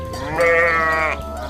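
A goat gives one drawn-out, nasal bleat lasting under a second, rich in harmonics with a slight waver. A low steady hum runs underneath.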